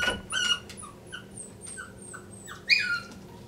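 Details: A Miniature Schnauzer puppy caught halfway through a cat hole door whines in a quick run of short, high-pitched whimpers, some rising and some falling, ending in a louder squeal over a faint room hum.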